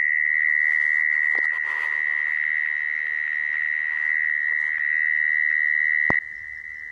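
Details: Mole cricket trilling, a call used to lure crickets into traps. The sustained high buzz runs evenly, with brief clicks and rustles near the start, then a sudden click and a drop in loudness just before the end.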